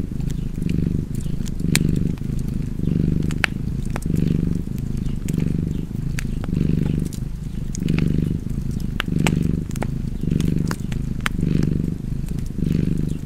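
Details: Domestic cat purring steadily in a low rumble, each inhale and exhale forming a pulse a little more than a second long, with sharp pops and crackles of a fireplace scattered throughout.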